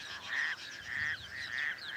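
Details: A male toad hidden in reeds at a small dam on the outskirts of Cape Town gives short, nasal, pulsing breeding calls in regular bursts, with other toads calling nearby; this species breeds day or night.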